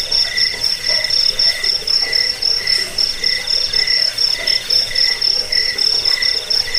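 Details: Jangkik cricket calls intended for repelling rats, inducing sleep and songbird training: bright, sharply pulsed high trill with clear gaps between short bursts, plus a lower buzzy band beating in time roughly twice a second.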